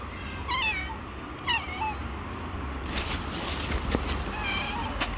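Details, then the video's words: Stray domestic cat living on the street, approaching and gently meowing to ask for food: two clear falling-and-rising harmonic meows in the first two seconds, later a rustling, clattering noise with a faint meow over low background rumble. "Cute stray Cat who gently Meow and approach me and ask for Food."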